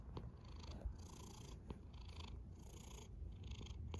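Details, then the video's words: A cat snores softly, breathy rasps rising and falling about every second and a half over a low purring drone, with light ticking sounds. "A snoring cat"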